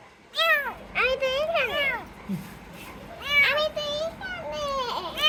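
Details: Rescued kittens mewing in quick bursts: clustered high-pitched calls, some bent and drawn out, others short and rising, coming in two groups with a brief pause between.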